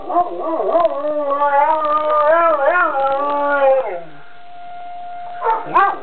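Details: Puppy howling along to a nearby school siren: a wavering, rising-and-falling tonal howl for about four seconds, then a steady siren tone holds alone before a brief yelping burst at the end.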